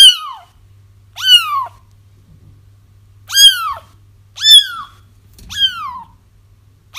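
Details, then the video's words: High kitten cries for luring a feral mother cat into a trap, five bright bending meows at uneven gaps, with a faint low steady hum underneath and a soft bump near the end. "30 minutes of Kittens Crying"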